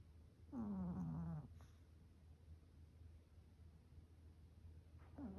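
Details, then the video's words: Maltese dog asleep, letting out one low, rough snore that slides downward and lasts nearly a second. A second snore begins just before the end, over quiet room hush. "자면서 코골이 하는 강아지"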